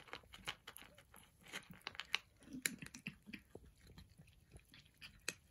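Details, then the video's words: Persian cats crunching their breakfast, bright crisp bite snaps about twice a second, with a few louder crackling crunches among softer chewing. "Persian Cats Enjoying Their Breakfast | Relaxing Eating Noises"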